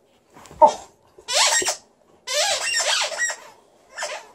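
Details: Liza, a female Alaskan Malamute in a good mood, performs a small vocal show indoors. Two drawn-out, bending woo-like howls follow a short opening yelp, then a fainter closing note.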